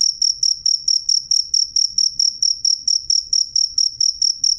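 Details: Cricket (jangkrik) heard clear and loud, giving short, high, ringing chirps about four times a second in a steady pulse, with faint low rumbling underneath.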